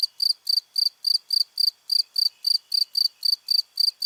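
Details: Cricket chirping in a steady, high-pitched pulsed rhythm, about four bright chirps each second, with no other sounds.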